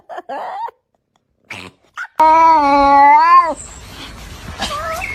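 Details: Kitten giving a drawn-out, steady meow lasting over a second with a slight rise and falling end, after a few short faint mews; quiet rustling and a soft squeak follow.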